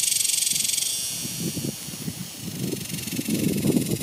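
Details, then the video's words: Summer cicada chorus from 2021, a dense high-pitched hiss holding steady while low scuffing and thumping noises, like someone walking, rise and fall beneath it. "Cicadas! The sounds of Summer!"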